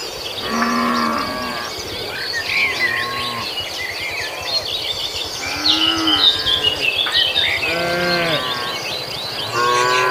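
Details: Cattle herd, tame and grazing, heading across a field to the pen; scattered short and medium moos every second or two, some higher-pitched and nasal, with constant twittering birds above.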